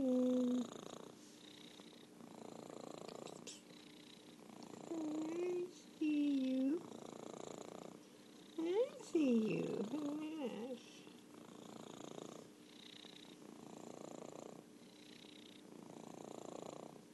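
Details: Orange tabby cat Merlin keeps up a soft rhythmic purr in regular swells while a voice talks over it in several short, louder tonal phrases.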